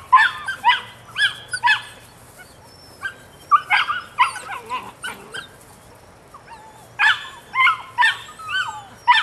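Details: Nine-week-old female puppy of the Rodin/Katana litter yipping repeatedly: sharp, high, harmonic yelps in irregular bunches of two or three, some sliding downward, with short pauses between bouts.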